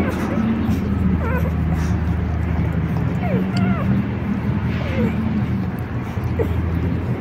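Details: Four-day-old puppies from the last litter of four born to Rosalie, an experienced mother dog, excited as she tries to enter the puppy room; thin squeaky whimpers rise and fall in short curling bursts over a steady low hum.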